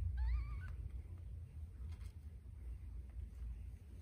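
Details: Scottish Fold kitten calling while littermates fight over a nipple during nursing: one short, wavering, slightly rising meow at the start, followed by steady low rumbling and shuffling.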